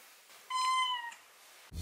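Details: Domestic cat giving a single clear, tonal meow lasting about half a second, level then slightly falling, followed by quiet room and a brief thump.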